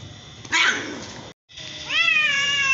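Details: One of a same-coloured mother and daughter cat pair: a short rough burst, a brief pause, then a single long, rising, strained meow that holds its pitch to the end.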